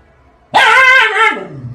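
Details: A Siberian husky gives a sudden, dramatic, wavering, drawn-out cry that slides down in pitch at the end.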